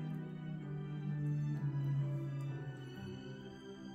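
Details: Soft, tender new-age background music with sustained low tones fills the moment, without any audible puppy sounds.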